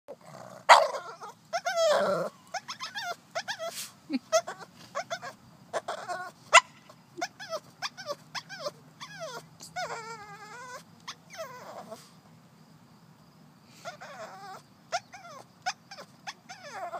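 A Boston Terrier whines in high, wavering, nasal tones, breaking into short yelps and throaty murmurs.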